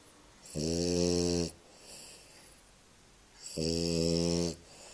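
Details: Bulldog named Stitch sleeping and snoring: two long, loud, buzzy rasping snores about a second each, roughly three seconds apart, with quieter breathing between them indoors.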